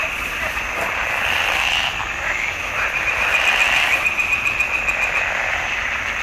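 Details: Swamp pond frogs in June 2021 producing a dense croaking chorus, rapid pulses fused into a steady high buzz that grows louder toward the middle.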